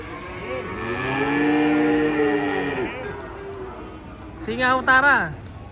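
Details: A giant cow coming down from a truck gives one drawn-out, level moo lasting about two seconds, then a man's excited shout breaks in amid yard noise.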